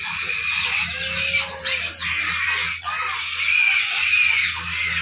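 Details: Hungry pigs squeal in a dense, harsh chorus that runs almost without a break, with a brief dip near the middle and a steady low hum beneath.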